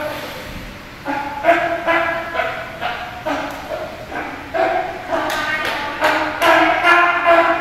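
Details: Hinata, a young California sea lion at Ise Sea Paradise aquarium in Japan, plays alone near the feeding area. He gives a steady series of rough, harmonic barks, roughly two each second, with human voices in the background.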